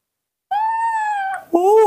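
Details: A baby monkey, kept and hand-raised at home, calls in the morning when it wants milk: a clear, steady whistled cry of about a second, then a shorter rising-falling cry, with no other sounds.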